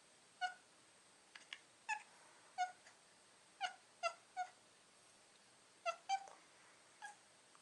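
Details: Domestic cat "talking": a run of short, clipped, harmonic chirps or meows, each under half a second, arriving singly or in quick pairs about a dozen times over seven seconds in a quiet room.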